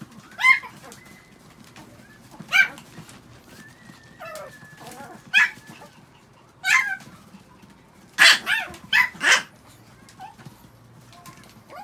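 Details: Six pet Chihuahuas after a shampoo; high, sharp yips come at irregular intervals, about eight in all, with a quick cluster of three near the end and a faint whistle-like tone between them.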